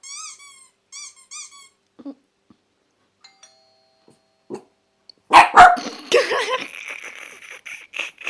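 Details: Kleinspitz Lenni, a pet dog, barks at strange noises while sharing the home with Chinese Crested Dog Lulu. Short high whistling squeaks open the recording, then a loud flurry of sharp, harsh barks bursts out near the end.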